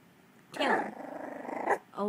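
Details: Dachshund puppy learning to bark, letting out a rough, pulsing little growl lasting just over a second, followed by a woman's brief spoken word.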